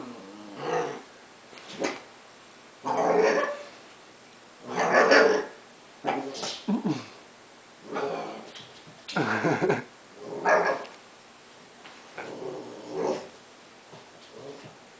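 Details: Basenji puppy Tenji, 11 weeks old, romping on his first day home, giving repeated short growly, yodel-like bursts roughly every one to two seconds, each rough and mid-pitched, with quiet gaps between.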